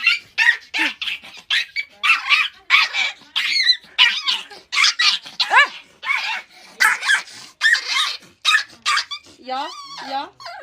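A dog gives a rapid run of high yips and short barks, ending in wavering whines.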